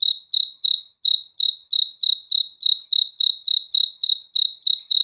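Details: A cricket at night gives bright, shrill chirps in a fast, slightly uneven series, about three each second, against total silence.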